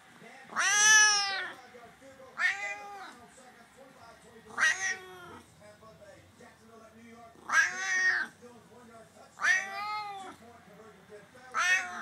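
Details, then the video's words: Male Savannah cat, F4 generation, about 16 lbs, giving his talking meow to say hi and ask for attention: six loud, harmonic, arching meows about two seconds apart, each under a second long, in a quiet indoor room. "Savannah meow (F4)"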